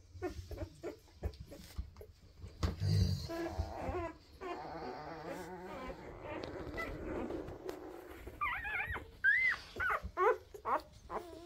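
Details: Weimaraner puppies from a first 2023 litter, described as quiet, give soft whimpers and short rising squeaks, growing busier toward the end, over low rustling and handling noise.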